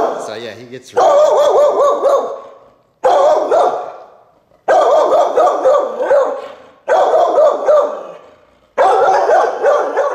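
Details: Five loud, rough barks from Bo, a four-year-old Wheaten Terrier in a private training seminar, come roughly every two seconds, each fading slowly, with a brief voice at the start.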